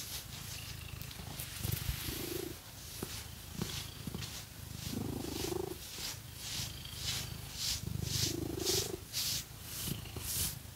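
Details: Cat purring while being scratched with artificial nails; a low rumbling purr rises and falls with each breath, with louder drawn-out swells every few seconds, accompanied by soft rhythmic scratching, no talking.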